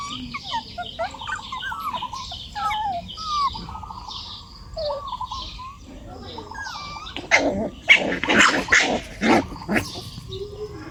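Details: A dog gives a run of short, rough barks close together near the end, after a stretch of chirping and whistling birds that keep calling in the background.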